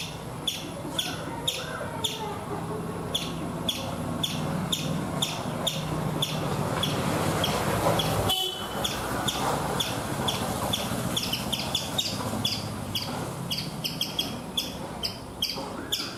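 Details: Chipmunk on a coconut tree in India, giving sharp, high chirps repeated about twice a second in a steady series. Background traffic rumbles throughout, with one brief louder burst midway.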